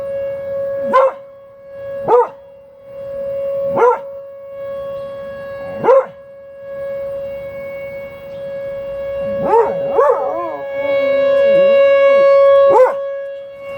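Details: Buddy the dog howling with tornado sirens: several short yelping rises, then a long wavering howl that dips and climbs, all over a constant loud siren drone.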